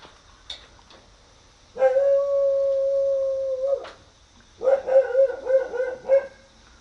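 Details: Akita puppy strolling freely around a garden, looking about; a steady, even howl-like note held for about two seconds, a pause, then a rapid run of five or six wavering, yelping notes.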